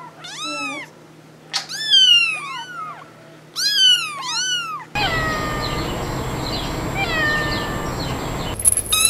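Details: Kitten meows from a compilation, three clear high arching mews in the first half, then a cut to a noisier scene with fainter mewing under broadband noise.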